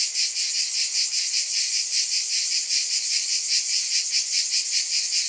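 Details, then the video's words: A shrill, continuous cicada drone, bright and metallic, throbbing in quick even pulses with nothing else audible. "Scintillating Cicadas"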